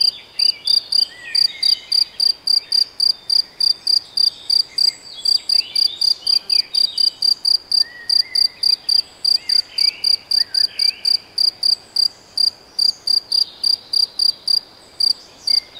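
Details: Cricket, unsure whether true cricket or bush-cricket, in the Debrecen Nagyerdő woods of Hungary, giving a continuous train of clear, piercing chirps about three or four per second, layered over soft scattered bird twitters.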